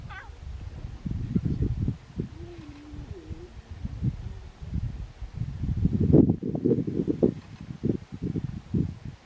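A lion cub gives low, wavering mewing calls, much like a hoarse meow, amid bursts of rumbling noise.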